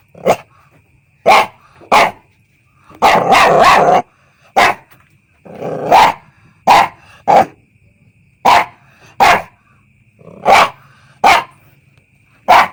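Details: Single sharp puppy yaps spaced about a second apart, broken by one rapid burst of several barks and a short growly stretch, all high and clipped over a quiet hum.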